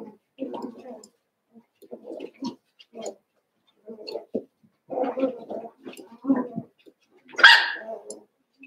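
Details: Cavalier King Charles Spaniel puppies, eight pups from two litters (Daisy's six and Robin's two) playing together indoors, making a run of short whiny yelps and grumbles, ending in one louder high yip.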